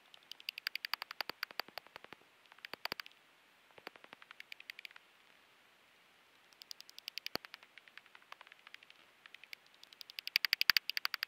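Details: Common pipistrelle echolocation, heard as quiet bursts of fast, crisp clicking pulses coming in several separate runs, with near-silent gaps between them and a stronger run near the end.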